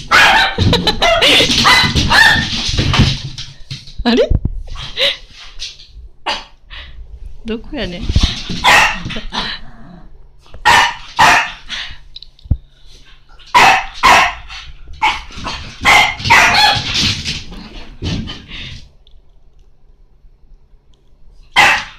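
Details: French Bulldog, frightened yet eager to play with another dog it will not approach, gives short sharp barks in scattered clusters with long pauses, mixed with people talking and indoor scuffling.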